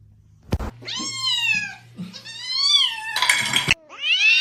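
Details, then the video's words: Kitten meowing: several high, harmonic meows that rise then fall, each about half a second to a second long, with a loud click and a brief burst of noise between them. "Kitten meowing"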